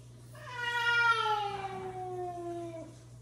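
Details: Domestic cat, the father cat scolding the mother cat: a single drawn-out harmonic meow lasting about two and a half seconds, pitch sliding slowly downward, over a steady low hum.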